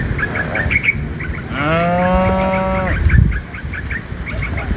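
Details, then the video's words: Cattle being herded out of a forest into a pen: one tame cow lets out a single moo lasting over a second, rising slightly then holding steady, with repeated bird chirps throughout and a brief thud afterward. "Herding dozens of tame cows from the forest to the pen,A livestock herder in the sound of a cow mooo"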